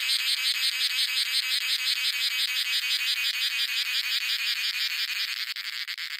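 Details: Cicadas singing in a coffee plantation in India: a loud, harsh buzzing rasp pulsing steadily about three times per second, rich and broad in tone, with no other sounds evident.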